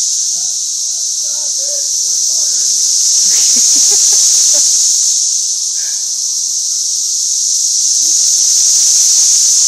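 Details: A dense cicada chorus in a Tennessee parking lot, heard as a continuous high shrill drone that swells and fades slightly over several seconds, with faint voices and scattered noises underneath.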